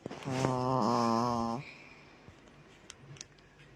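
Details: Pet dog snoring indoors in a small room: a single long, droning, tonal snore of about a second and a half, deep and buzzing with a steady low pitch, followed by quiet room noise.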